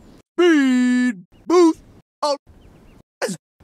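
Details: A desert rain frog, described as a very angry frog giving its war cry, makes shrill, buzzy squeaks like a dog toy: one long held note followed by shorter ones.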